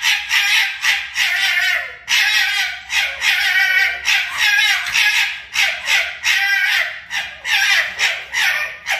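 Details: Two foxes fighting, giving harsh, raspy screeching bursts in rapid series, each burst about half a second long with brief gaps, continuing steadily throughout with little else audible.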